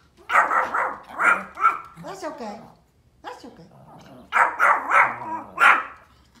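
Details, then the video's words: Pomeranian dogs outdoors barking at deer: sharp, high barks in quick bursts of three or four, a pause, then another volley, with a person's voice faintly mixed in. "Funny pomeranian barking sounds | cute Pom dogs barking deer outdoor"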